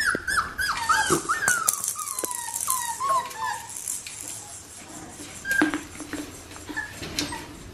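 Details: Australian Shepherd puppy, with one eye half blue and half green, indoors. It gives a series of high, descending whimpering squeaks that slide downward one after another, then a few short, scattered squeals with light handling noise.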